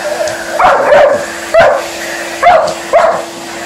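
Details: Liza, an Alaskan Malamute, reacting to a running hoover: four short loud barks and yips, about one per second, over the steady hum of the vacuum cleaner indoors.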